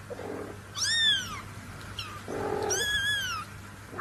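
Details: Newborn kittens meowing: two clear, drawn-out meows, each rising then falling in a smooth arch, about two seconds apart, over a low steady hum and some soft rustling.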